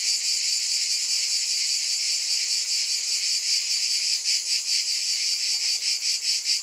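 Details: Cicadas in a dense, continuous chorus of high, hissing buzz, steady throughout with faint pulsing swells toward the end; no other sounds stand out.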